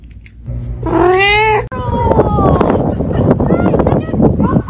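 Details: Caramel-colored pet cat giving one long, strained, harmonic meow that climbs slightly, followed by a sudden cut to a busy, noisy stretch of mixed sounds with fainter, higher mews and clicks.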